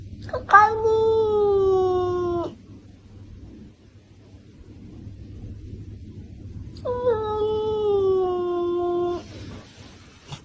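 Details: Domestic cat indoors uttering two long, clear meows several seconds apart, each starting with a sharp upward onset and then sliding gradually lower over about two seconds, with quiet room hum between them.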